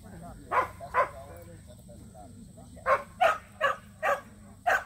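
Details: Two Samoyeds, Mozart and Zuko, at their first local match show. A pair of barks opens, then after a quiet gap comes a run of five evenly spaced barks, with faint voices and a steady hum behind.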